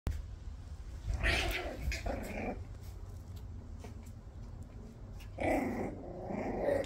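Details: Jack Russell Terrier puppies of the U litter from the von der Bramau kennel give two bouts of rough, low growling and whiny yaps, around the first two seconds and again near the end, then a woman calls them over in German.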